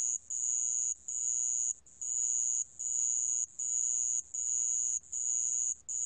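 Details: Piercing, high-pitched insect trill from a sand cricket (Korea, National Institute of Biological Resources, 2020), running in long bursts of roughly a second each, broken by short regular pauses; background quiet.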